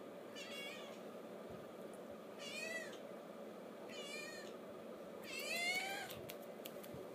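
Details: Hunter, a 12-day-old seal point mitted male Ragdoll kitten, gives four high, wavering meows in separate bursts, the last one loudest and longest, over a steady low indoor hum.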